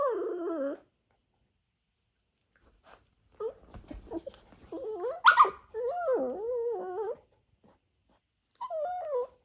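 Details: Playful Dachshund puppies wrestling together; short whiny whimpers and yelping growls with wavering pitch in bursts, separated by quiet gaps, one sharper yip near the middle.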